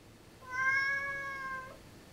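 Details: A talkative female Siamese cat gives a long, drawn-out meow, steady in pitch and fading slightly at the end, seeming to answer her owner's questions.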